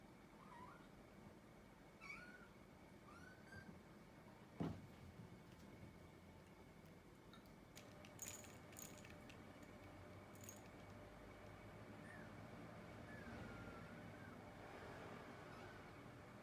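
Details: Scottish Fold cat, likely a kitten, meowing in reply to another cat's meows; soft, short mews that rise then fall, spread through the recording, with faint background hum and a few clicks.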